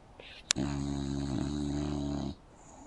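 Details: English Bulldog asleep indoors on a couch with its mouth open, giving one drawn-out droning snore of nearly two seconds with a steady low buzzy tone, preceded by a sharp click.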